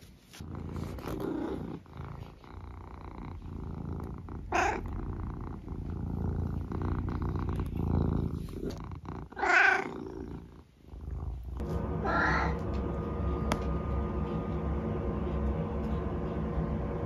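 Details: Eric, a senior tabby cat from England, purrs steadily at home, a low continuous rumble filling the room, broken by a few brief chirpy sounds and a faint tone near the end.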